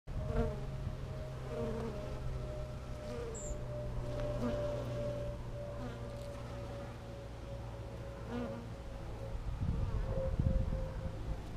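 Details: Honey bees working heather flowers on a beautiful day in California, filmed close up; a low, steady droning buzz with a sustained hum running throughout, swelling slightly as bees pass nearby, over faint background noise.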